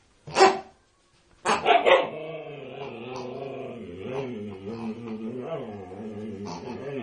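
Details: Female Siberian Husky, unusually vocal while attacking a pig: two sharp yelps, then a long wavering, howl-like moan with rich harmonics that rises and falls over several seconds, with a faint final yip.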